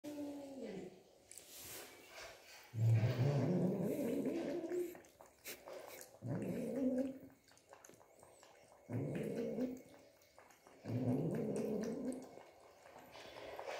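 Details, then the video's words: Angry domestic cat named Simba growling while drinking milk indoors. Low, rumbling growls come in four drawn-out bursts of about a second and a half, with short quiet pauses between them. "Angry cat Simba drinking milk"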